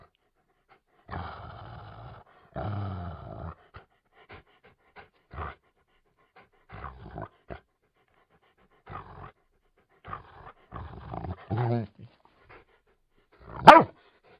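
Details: Labrador Retriever with rough breathy panting bursts, scattered soft huffs, a brief wavering whine, then one sharp loud bark-like yelp at the close; quiet background otherwise.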